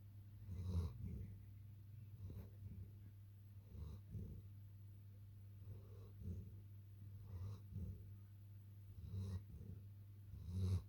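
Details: Sleeping long-coat German Shepherd puppy snoring, with soft rasping breaths and snorts repeating about every one to two seconds. A steady low hum runs throughout, and the final breath is louder.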